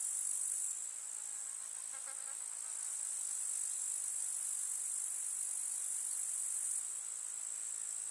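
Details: Grasshoppers in a summer meadow in the countryside produce a constant high, fizzing trill, slightly louder at the start and end, with a faint short series of soft notes in the background early on.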